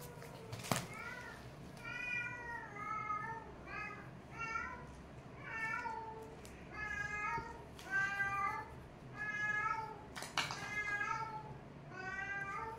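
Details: Kittens play-fighting indoors, giving a rapid series of about a dozen high, rising-then-falling meows with rich harmonics, roughly one every second, alongside a few sharp clicks and thumps from the scuffle.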